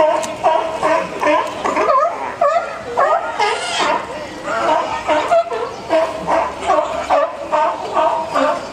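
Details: At Higashiyama Zoo, a California sea lion mother and pup at rest, recorded on a PowerShot S3 IS: hoarse, dog-like barks and yelping calls come in uneven bursts roughly twice a second, mixed with background voices of visitors.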